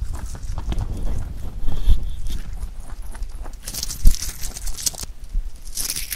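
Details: Pet rabbit chewing clover: low crunching and rustling with occasional thumps, and brighter bursts of crisp leaf crackling in the second half.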